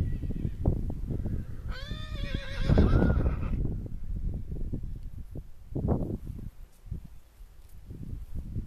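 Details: Upset stallion galloping around a field while the mares are stabled to foal; one long quavering whinny falling in pitch over about two seconds, amid rapid drumming hoofbeats and snorts.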